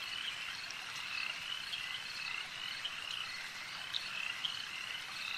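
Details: Lakeside frog chorus: many voices blend into a continuous trilling hum, with a few louder, sharper croaks standing out near the end.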